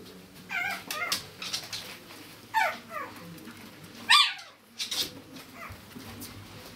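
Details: Chihuahua puppies giving high, thin whimpers and yelps, each a short squeal falling in pitch, in several separate bursts one to two seconds apart against a quiet indoor background.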